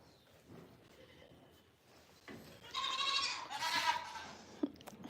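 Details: A pregnant doe goat gives loud, wavering bleats with a strong harmonic, nasal quality on a goat farm at breakfast time, while bucklings demand feeding.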